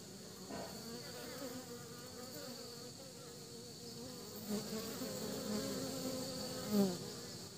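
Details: Pollen-laden honey bees heading back to their nest give a low, constant humming buzz that grows a little fuller in the second half, ending with one brief close pass.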